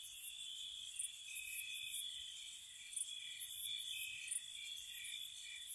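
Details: Spring night cricket chorus by a cottage: an unbroken shrill trill overlaid with wavering lower trills and bright, very high clicking pulses repeating several times a second.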